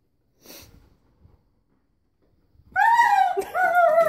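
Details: German Shepherd howling at a vacuum cleaner: soft breathy noises early on, then from about 2.7 seconds a loud, sustained, high, tonal howl with rich harmonics that drifts slightly downward, breaks briefly, and carries on to the end.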